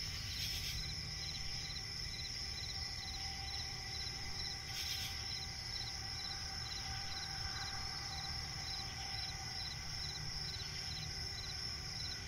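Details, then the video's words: Crickets chirping at night in a swamp forest: a steady high shimmering trill with rows of short pulsed chirps repeating rapidly, over a constant low rumble and a couple of brief broadband rustles. "cricket chirping relaxing sound in night forest"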